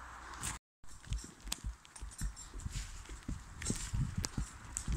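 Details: Draft mare skidding logs in Brittany, working alone and steered by voice: soft, uneven hoof thuds on the forest ground with brief crackles, broken by a short gap of silence.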